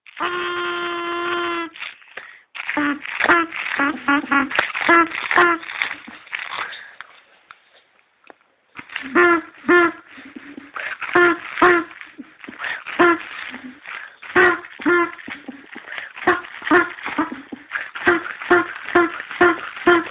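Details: Opening with a sustained tonal yowl, the dog Bruno launches into long, rhythmic series of short, yelping barks, about two per second, with a brief lull midway.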